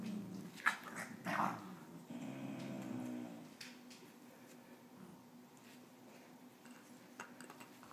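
A basenji puppy gives short whiny, growly vocal bursts, then quiets to soft rustling.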